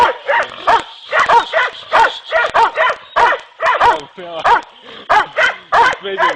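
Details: Dogs in training for boar hunting in Turkey bark loudly and steadily, about a dozen sharp harsh barks at roughly half-second gaps, some doubled, with a man's voice briefly in between.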